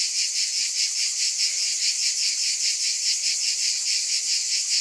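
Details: Shrill insect buzz from cicadas, pulsing gently about twice a second over a constant high hiss.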